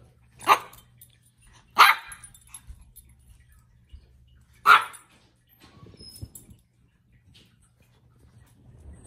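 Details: Shih Tzu; bark; play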